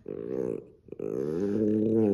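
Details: Peanut, a Maltipoo dog indoors, growls in anger when his owner touches his toy: two harmonic, rumbling growls, a short one then a longer, rising and swelling one, with a brief pause between and a person's voice asking about the toy nearby.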